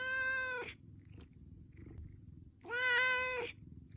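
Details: A pet cat pleading for food lets out two drawn-out meows, one ending early and another starting after a two-second pause, both loud and steady-pitched with strong harmonics, a low hum underneath.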